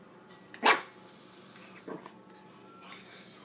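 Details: A 7-week-old Boston Terrier puppy playing with his father gives one sharp bark, then a few softer yips.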